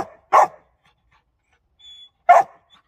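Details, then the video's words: Dog giving two sharp, loud barks about two seconds apart, each short and clipped, with a faint brief tone between them and silence otherwise. "dog barking"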